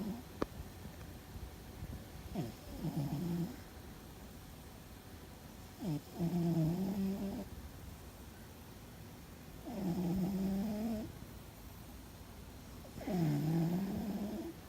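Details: Sleeping house cat Fuzzy, seemingly dreaming, gives a loud snore: four low, buzzy, harmonic breaths roughly every three to four seconds, each starting with a short downward swoop before a steady drone, separated by near silence in a small room.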